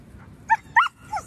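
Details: Samoyed, Tchoup, 11 months old, after board and train: three short tonal barks or yelps with clear harmonics, about a third of a second apart, the last one falling in pitch; quiet background.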